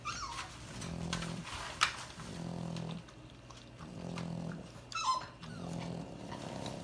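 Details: A female lilac tri-color merle French Bulldog snores in deep, rumbling breaths that return about every second and a half.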